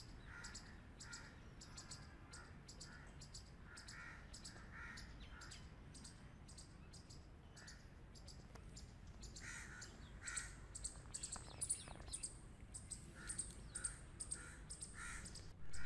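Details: Grey squirrels playing together; one gives a series of short, harsh, buzzy chucks over a low background rumble.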